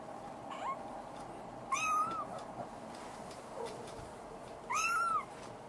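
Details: Maine Coon kitten, described as becoming more active, in Tokyo, Japan. Two clear, high meows arch up and then fall, about three seconds apart, with faint softer squeaks between them in a quiet room.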